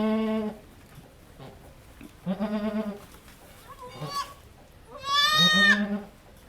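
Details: Farm goat mid-delivery of her second of triplets: three separate harsh, nasal bleats, the last loudest and most strained, with a brief human voice between them.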